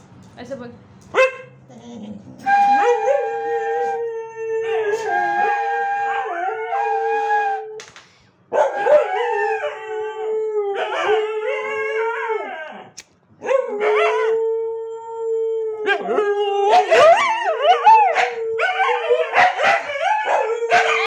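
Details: Pet dog howling with a flute, long sustained wavering howls held for a few seconds each, broken by short gaps, closely tracking the flute's tones with harmonics above.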